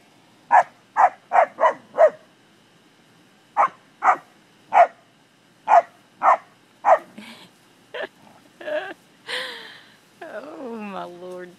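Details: English springer spaniels playing with cattle: sharp barks in a quick run of five, a pause, then more spaced barks, ending with a human voice and laughter.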